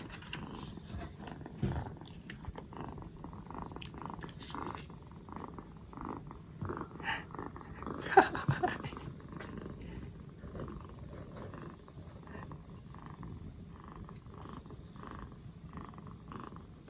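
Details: Rescued two-month-old black Bombay kitten on its fourth day in care, recovering from a cold with its cough gone, purring in a steady, low rhythmic pulse throughout, with a brief louder handling sound near the middle.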